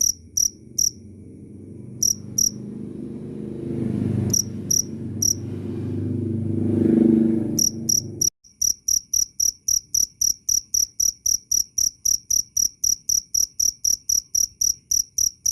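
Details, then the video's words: Cricket recording presented as loud and clear: shrill, high chirps broken by pauses over a low rumbling background for the first half, then a steady run of sharp chirps at about four per second. "Suara asli jangkrik Keras dan jernih"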